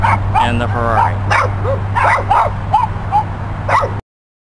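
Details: Dogs barking beside a yellow Ferrari: short, yappy, slightly whining barks in quick irregular succession, overlapped by a man talking.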